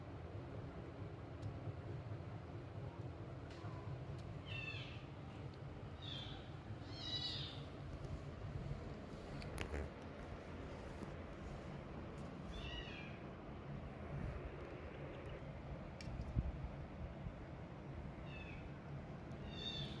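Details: Domestic kittens demanding milk from their mother as she weans them: thin, high-pitched mews in short clusters, repeated at irregular intervals through the clip over a steady low indoor hum.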